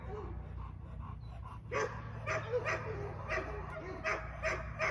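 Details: During her first training session, Aries the female English Mastiff lets out scattered, uneven barks after a quieter opening, with a steady low hum in the background.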